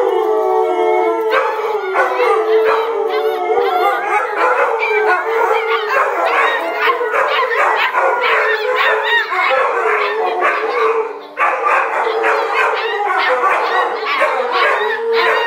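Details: Adult dog and puppies howling in a vocal practice session: a long sustained howl opens, then a busy chorus of choppy, yipping, wavering howls continues with a brief pause near the end.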